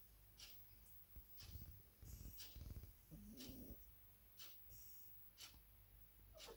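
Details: Domestic cat snoring: rough, low rattling snores in bursts near 1.5, 2 and 2.7 seconds, then a short wheezy rising tone, with soft clicks and breathing in between.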